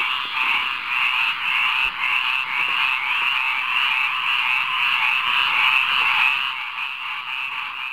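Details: Frogs in a rainwater pond sing at midnight, a loud steady chorus of rapid repeated croaks near two per second, swelling briefly before easing slightly toward the end.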